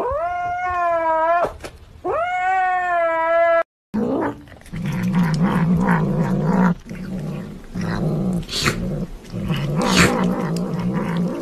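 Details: A kitten that does not want to be touched gives two long, strained, steady yowls, then a stretch of rough, low growling and grumbling with scuffing noises.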